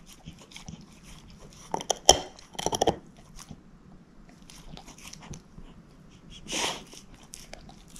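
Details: A female shepherd mix named Moose eating a bone inside: scattered crisp crunches, a sharp snap around two seconds with a few quick bites, then soft gnawing and one more brief crunch.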